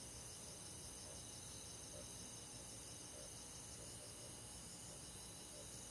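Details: Summer-night countryside insects led by crickets: a dense, continuous high-pitched trilling wash of many callers blending together, unbroken throughout, over a quiet low background hum.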